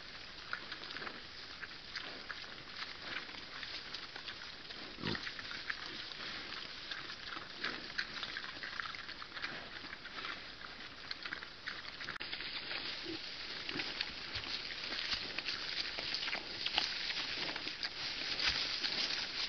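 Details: Wild boar piglet suckling from a sow, giving soft, irregular grunts and squeaky snuffles, several per second, over a steady outdoor hiss with a brief click near the middle.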